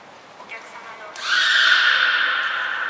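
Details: Belugas Nana, Mirai and Niko during a training session at the Port of Nagoya Public Aquarium, 11 January 2021: a thin high whistle tone, then a loud sustained harmonic call that holds steady for nearly two seconds in an indoor hall.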